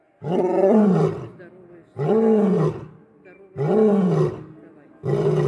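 A lion gives deep, harmonic roars, each about a second long, repeated in a steady series.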